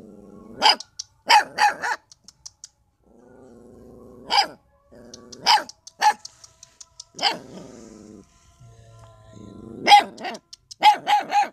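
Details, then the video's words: Puppies barking loudly at the person recording, whom they do not like to see; sharp loud barks come in bursts, some paired or in quick runs of three, with lower growling moans between them. "Dog Barking Loud To Me, Because Puppies Dont Like To See Me"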